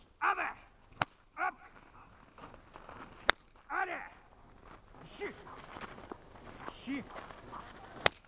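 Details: German shepherd named Vesta at protection training on 10 February 2019, with rubber and search work. Several loud, harsh barks come in short bursts. Sharp whip-like cracks sound three times, and there is quieter movement and voices.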